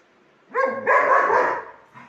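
A German Shepherd gives a deep, harmonic bark that runs into a longer, rough second bark.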